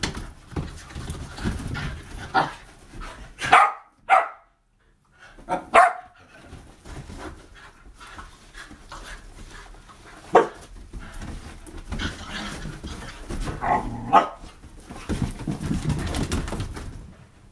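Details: Three Whippets named Bug, Radish and Cheeky playing wildly: steady panting and scuffling with a few sharp barks and yelps, one brief silent pause, then more rough play noise.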